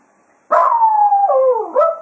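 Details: A single long howl from Cato, a Jack Russell Terrier serenading the hounds at the close of a foxhunting day at Quail Roost. The tone falls slowly, dips, then lifts again into a brief final rise.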